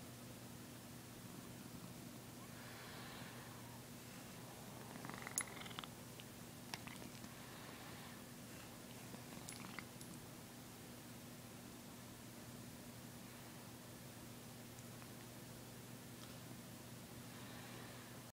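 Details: A house cat purrs during a yawn, giving a constant deep rumbling drone, broken now and then by faint breathy sounds and a few small clicks and rustles.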